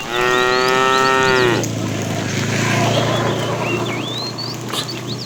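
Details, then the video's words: A fat cow in a tame herd being driven along in the afternoon calls to a female: one loud, drawn-out, richly harmonic moo lasting about a second and a half, then a low steady drone, with small birds chirping throughout. "The funny sound of a fat cow calling the female"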